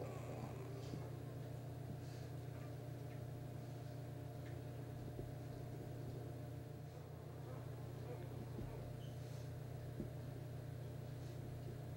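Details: Steady low engine or vehicle drone with faint background speech; no animal sound is heard.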